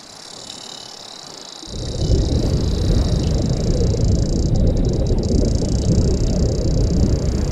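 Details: Sperm whale clicks begin abruptly as a dense, rapid train of low, booming pulses about three per second, heard in the ocean depths; these powerful clicks are used to communicate, navigate and stun prey.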